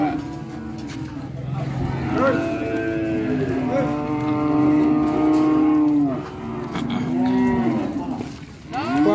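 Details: Cattle mooing in long, sustained harmonic calls, several overlapping lowing voices rising and falling between about two and six seconds, with a shorter moo near the end; a speaking voice is heard just before.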